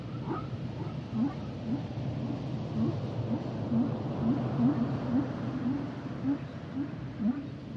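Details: Humpback whale song: a rapid series of short, low upswept chirps repeating roughly twice per second, with a few faint higher tones early on, set against a dense low-frequency underwater hiss.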